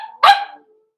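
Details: Single sharp, bright bark from a Blenheim Cavalier King Charles Spaniel puppy in a home puppy pen, from Pom-Pom's small litter born November 14, 2022, with a brief tonal whine just before and quiet afterward.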